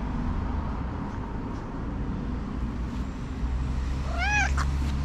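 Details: Talkative, friendly tuxedo cat, hungry and glad to see her owner before breakfast, gives a single short arched meow late in the clip over a steady low rumble of traffic or machinery.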